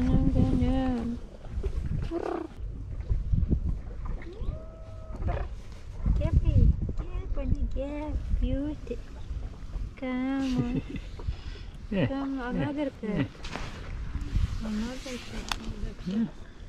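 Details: Two male cats that dislike each other, at the seaside in Istanbul, trading repeated drawn-out meows and wavering yowls with low growling between them, a person talking softly, background rumble of surf or wind.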